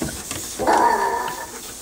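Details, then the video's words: Kay Leigh, a pet Chorkie dog, howls indoors in a small room: a sustained tonal cry of about three-quarters of a second with stacked harmonics and a slight wavering pitch, after which a person softly asks "oh what". "Kay Leigh the howling Chorkie!"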